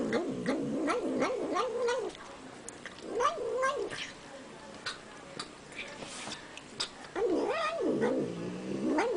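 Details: Domestic cat making a funny sound while eating: wavering, warbling mid-pitched moans rising and falling in quick wobbles, in bursts around the start, middle and end, with clicky chewing noises between.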